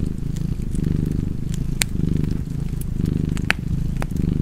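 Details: Fireside cat purring: a soft, rumbling drone that swells in about four slow waves, with a few loud sharp crackles from the burning wood.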